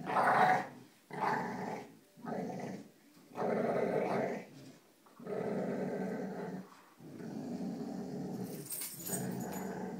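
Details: Dogs named Cujo, Kali and Lilly playing tug with a rope indoors give a run of throaty growls, each lasting about a second or more, broken by brief gaps, with a faint higher rattle near the end.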